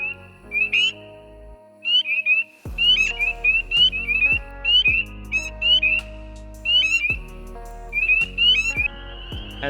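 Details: In spring breeding season in Pennsylvania wetlands, several spring peepers give high, clear peeps that slide upward and overlap in quick succession, recorded close up.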